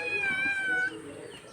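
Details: House cat mewing briefly, a tonal meow that drifts slightly downward for under a second and then fades, with people speaking Hindi nearby.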